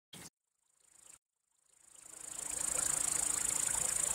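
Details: Male crickets stridulating by rubbing their elytra, a song meant to attract or court females or scare off rival males; after two brief clicks, a high, fast, evenly pulsed trill rises in loudness and then holds steady.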